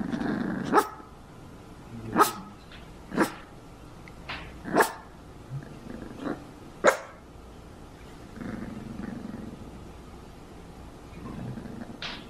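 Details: Herky, a pudgy female Cavalier King Charles Spaniel puppy on her first day home in 2014, gives a series of short, sharp yaps roughly every second, then falls quieter with faint low sounds.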